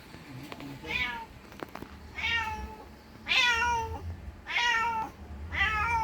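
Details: Mother cat calling for her lost kitten: five loud drawn-out meows with a falling end, one about every second and a half, over a low background hum.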